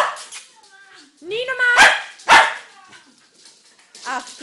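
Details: Dog producing rising whines and yelps that break into two loud sharp barks, with a person speaking faintly around the calls.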